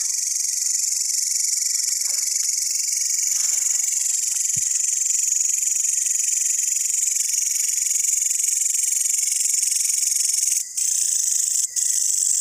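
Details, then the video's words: Long-horned grasshoppers, green and brown, keep up a steady, shrill, rapidly pulsed buzz throughout, broken only by two brief dropouts toward the end. "The green and brown long horned grasshoppers and there sound"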